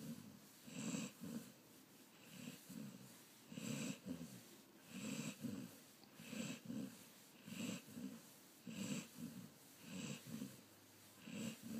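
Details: Patrick, a Golden Retriever, snores steadily, with a wheezy, snorting rasp on each breath that comes roughly every 1.3 seconds and a low grumbling undertone; otherwise a quiet room.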